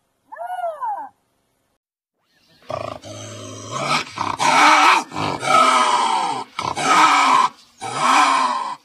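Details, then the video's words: Lynx screaming: a short arched wail, a pause, then a run of loud, harsh, raspy cries in close bursts, each rich in overtones and some wavering in pitch. "Lynx sounds, lynx scream"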